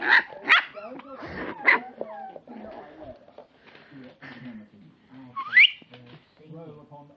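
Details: Four-week-old Lhasa Apso puppies: high thin squeaky whines and yelps, several short rising squeals at the start and a sharp upward-sliding squeak near the end, with softer whimpers and low human voices between.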